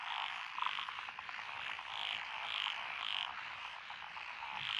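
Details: Rice-paddy frog chorus among lotus fields in Echizen, Fukui, Japan, recorded 12 June 2021, from several species including Japanese tree frogs and Schlegel's green tree frogs: steady dense croaking, with bright repeated notes pulsing roughly every half second.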